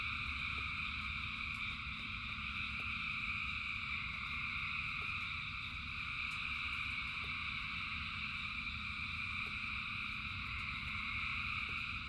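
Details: Large chorus of frogs singing during rain, a continuous layered trill that holds steady without pause, backed by a constant low rushing noise and occasional soft ticks.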